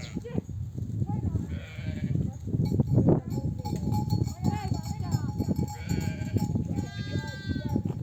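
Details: Nomadic flock of sheep returning from desert pasture, mothers calling their lambs to nurse; a few short harmonic bleats rise above heavy low rumbling, hoof and movement noise, with voices in the background.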